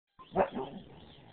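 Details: Siberian Husky playing, giving a single short bark-like vocalisation with a strong onset, followed by a softer trailing sound and low background noise.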